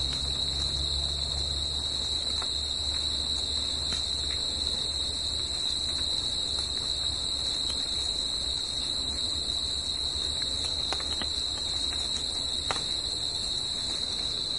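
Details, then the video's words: Nighttime crickets singing in nature produce a steady high continuous trill throughout, over a low droning hum that is strongest in the first two seconds, with scattered faint clicks. "CRICKETS AT NIGHT"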